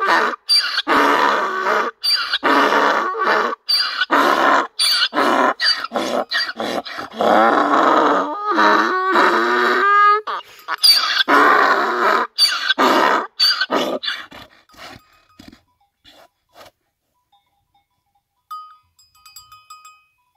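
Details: A donkey in the village of Brestica, in the hamlet of Aluge at the foot of Pusti Lisac mountain, brays in loud, rasping bursts that swing between a high squeal and a lower honk.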